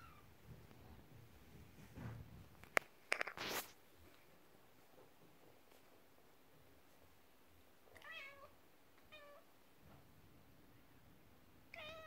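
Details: Domestic cats indoors, a mother cat upset while her kittens play with a toy horse-drawn carriage; a few short, high, bending meows come late, after thumps and rattling from the toy early on.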